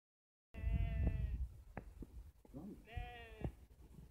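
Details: A sheep at Yorkshire Sculpture Park gives two long, quavering bleats with an oddly human, voice-like tone.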